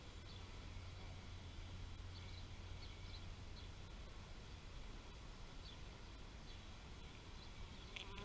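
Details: Steady humming of bees, a dense low buzz with faint tonal bands, with a few quiet high chirps and a sharp brighter sound at the very end.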